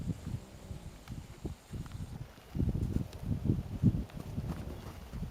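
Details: A horse named Moon snoring: a rough series of low, rumbling breathy bursts, uneven in length, growing louder and denser in the second half, with faint rustling in the background.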